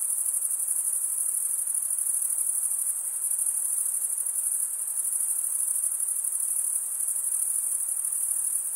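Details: Stridulating crickets, with wing rubbed against toothed wing, produce a steady high-pitched pulsing drone. The shrill chorus holds without pause and nothing else can be heard.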